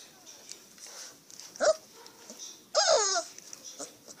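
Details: Leonberger puppies at play give two whining yelps, a short one and then a longer, falling, harmonic cry, over a soft hiss of background noise.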